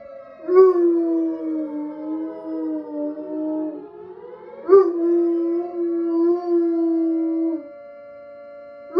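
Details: A bloodhound coonhound gives two long, wavering howls, singing along with a tornado siren tone played from a phone.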